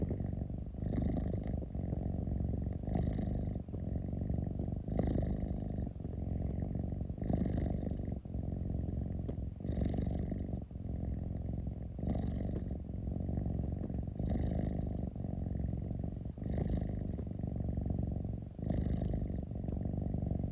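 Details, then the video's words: Cat rumbling contentedly, a low throbbing purr sustained for the whole stretch, rhythmically interrupted by short airy breaths about every two seconds, around ten cycles in all. "Cat rumbling sound 猫のゴロゴロ音"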